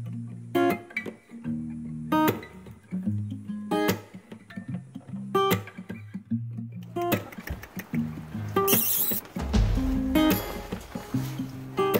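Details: Strummed acoustic guitar music with rhythmic chords and some rustling, and no animal calls.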